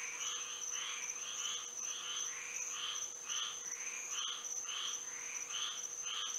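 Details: Night frog chorus in Florida by moonlight, a dense run of short twangy calls repeated about twice a second, each a bright chirp with a rising sweep, above a constant high-pitched insect drone.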